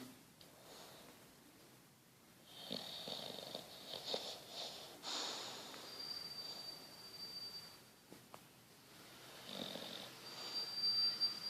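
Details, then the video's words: Petruchio, a sleeping English Bulldog, snoring indoors: soft rasping breaths in uneven bursts, with faint high hiss and a thin steady whine in the background. "Bulldog inglês roncando"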